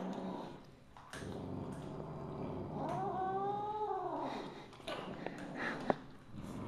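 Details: Misu, a Siamese (Wichienmaat) mother cat, recorded 2 January 2015 at 8:18 PM. A single drawn-out meow near the middle arches up and then falls over about a second, set against a low rumbling background with scattered clicks and knocks.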